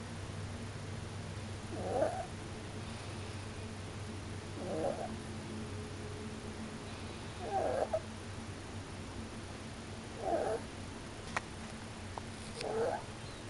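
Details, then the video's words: A Pomeranian dog asleep and snoring, with five soft, rasping snores at a steady pace of about one every two and a half seconds, over a constant low indoor hum. "Snoring Pomerainian"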